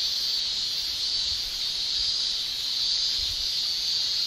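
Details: Summer chorus of male Japanese cicadas, continuous high shrill drone with slight pulsing waves, steady and unbroken throughout, nothing else clearly heard.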